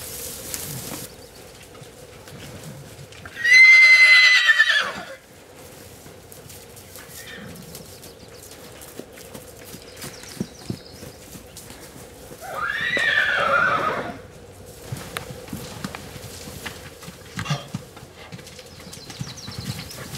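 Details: Wild horses in Arizona, where a band of bachelor stallions challenges other stallions: two long ringing neighs nine seconds apart, the first louder with a thin whistled top, the second rougher and falling, over a faint constant hum and occasional clicks.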